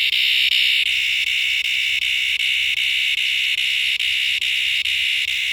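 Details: A cicada in a backyard gives a loud, continuous, high-pitched buzz with faint, regular flickers.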